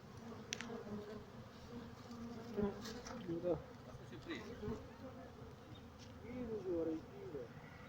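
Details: Honey bees at a bee farm in Pakistan, a low steady hum of many wings with scattered short chirping sweeps and faint background murmur.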